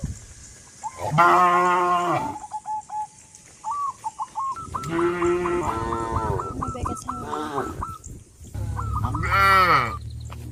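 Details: Cows of a herd on a traditional village farm, heading to green grass fields, moo three times: long, deep, harmonic lows spaced several seconds apart, with a run of fast repeated honks between them.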